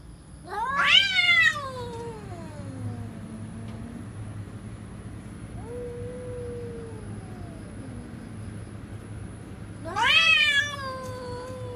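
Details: Cats threatening each other: two loud, harsh, rising-then-falling yowls about nine seconds apart, with a long low growling moan between them, over a steady low hum.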